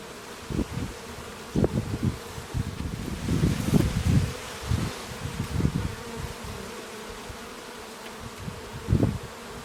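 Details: Low droning hum of bees, with many short loud buzzy bursts as bees pass near, clustered between three and six seconds and again just before the end.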